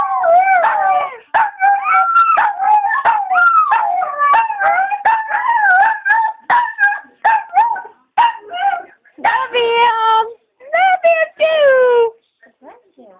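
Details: Sung to with "I love you", Doogie the 5-year-old Chihuahua keeps howling along; a long run of quavering, pitch-bending howls broken into bursts, with short pauses in the later half, and a human voice faintly in the mix.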